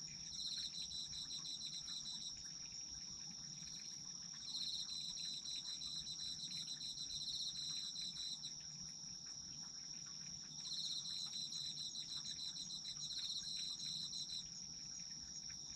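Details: Autumn insects heard for sleep, a continuous high ringing trill beneath repeated phrases of rapid pulsed chirping lasting about two to four seconds, separated by short gaps.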